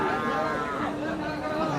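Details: Young Sahiwal calves for sale at the riverside Hazratpur cattle market: a steady, drawn-out low moo holding an even pitch, dipping slightly at the end, over the chatter and talk of the market crowd.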